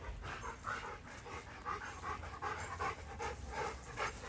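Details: A dog, set against a dogo argentino, pants in quick rhythmic bursts of roughly two to three breaths a second, some breaths carrying a faint whining tone, with no barking or growling heard.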